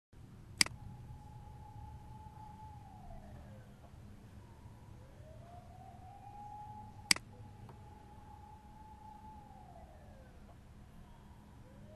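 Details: An emergency siren wails in long rising and falling sweeps over a low rumble, broken by two sharp clicks, with no animal voice heard.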